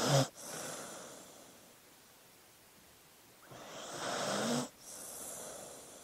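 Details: Sleeping dog snoring: a sharp snort at the start, then a long, quiet gap before a breathy, rasping inhale that rises in loudness and cuts off abruptly, followed by a softer airy exhale.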